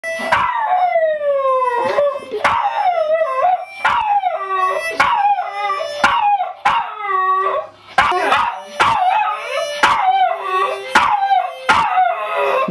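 A pet dog sings in drawn-out, sliding howls that swoop down and waver in pitch. Short, sharp clicks or taps break in between the phrases.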